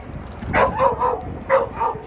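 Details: Short bursts of yipping from a Jindo dog in Korea, two quick pairs of mid-pitched barks separated by a brief pause.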